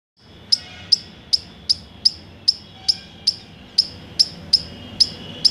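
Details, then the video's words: Five-striped palm squirrel calling with a steady run of sharp, very high chips, about thirteen in five seconds at roughly two to three per second, each a short bright click-like note over a quiet background. "KHISKOLI... Panch Pattavali Tadni khiskoli.(Fivestriped Palm Squirrel )"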